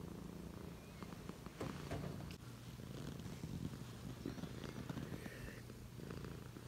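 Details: Domestic cat purring: a dense, continuous low rumble pulsing steadily throughout, with faint scattered ticks and rustles above it.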